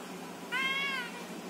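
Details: Domestic cat talking: a single clear, drawn-out meow, about half a second long, holding a steady tone before dipping slightly at the end, over a quiet background hiss.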